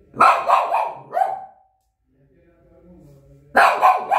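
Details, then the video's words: Shih Tzu dog barking: two bursts of sharp, harsh barks, three or four quick yaps in each, separated by a pause of about two seconds with faint low murmuring. "The barking Shih Tzu dog."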